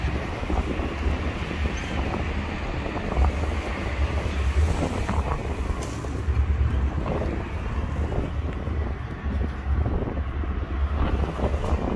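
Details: Steady roaring wind buffeting the microphone, with a low rumble like passing traffic and no animal call.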